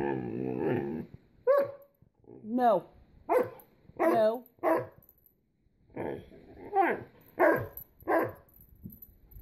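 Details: Small Great Dane seeking attention: about nine separate whimpering yelps, several with quick wavering pitch, after an opening stretch of low rumbling noise; brief human speech is also heard.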